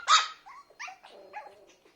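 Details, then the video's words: Biewer Terrier puppy, a toy breed, lets out one loud, high, shrill bark followed by a string of quieter, whiny yips trailing off. "BIEWER TERRIER PUPPY"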